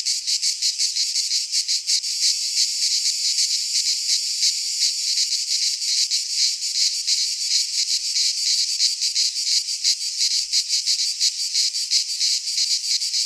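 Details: Cicadas singing in midsummer in a Greek pine forest: a dense, continuous high buzzing chorus pulsing roughly three times a second, with no other sounds.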